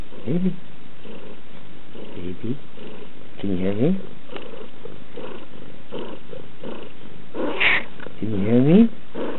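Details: Domestic cat purring: a steady low rumbling drone throughout, overlaid by a person speaking in bursts.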